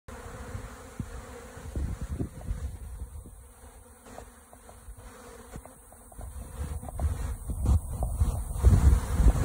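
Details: Mass of honeybees robbing and cleaning out recently extracted honeycomb supers: a dense, continuous low droning hum with flickering wingbeat buzzes swelling louder toward the end, many bees together and no other sounds.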